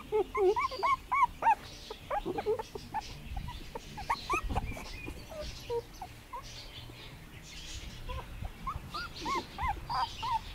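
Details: Young puppies, 2017, on their first garden day, with bursts of high arched whimpers and yelps in clusters, a quieter middle stretch of faint squeaks and rustling, then another run of whining cries.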